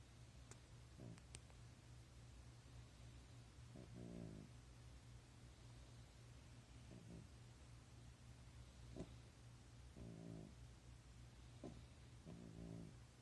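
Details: French Bulldog born 30 January 2017, asleep and snoring indoors: soft, raspy, buzzing snores recur roughly every two to three seconds over a steady low hum, with a few faint clicks.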